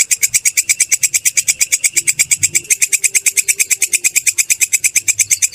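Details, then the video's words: Grasshopper known locally as belalang kecek or kerik, used to train songbirds: harsh, ticking buzz pulses at a steady fast rhythm of about seven a second, with a soft low murmur in the background. "Suara belalang kecek/kerik"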